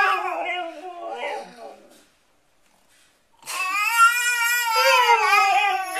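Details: Siberian Husky howling with a baby: a falling, wavering howl fades out, then after a second of silence a strong sustained howl with rapid vibrato returns and holds steady.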